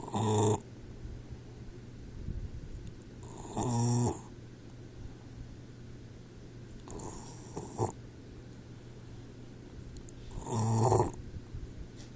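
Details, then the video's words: Sleeping Boxer puppy Troy, four months old, snoring: loud, buzzy, rattling snores with a low droning tone, repeated about every three and a half seconds with softer breaths between, over a steady background hum. "Snoring Boxer Puppy"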